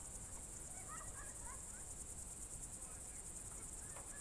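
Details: Crickets on a June 2023 evening in the Novye Buregi tract, Novgorod Oblast, Russia, give a high, unbroken trill, with a few quick bird chirps in the first two seconds and a low background rumble.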